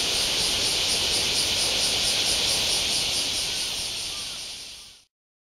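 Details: Cicadas in Japan, August 2019, making a dense, steady high-pitched hiss with a fine, rapid regular pulsing on top. The sound holds level for about four seconds, then fades and cuts off near the end.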